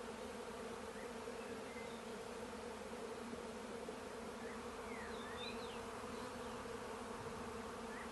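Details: Bees around a hive, a dense, unbroken droning buzz that holds steady throughout with a low, even hum; faint high bird chirps and short whistles drift in the background, especially toward the second half.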